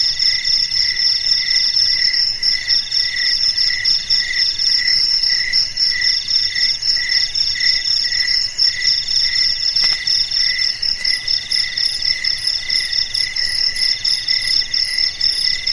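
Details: Dark, quiet night filled with crickets: rapid rhythmic high chirps layered in several bands, a faint click near the middle, and a thin very high ticking caller joining toward the end.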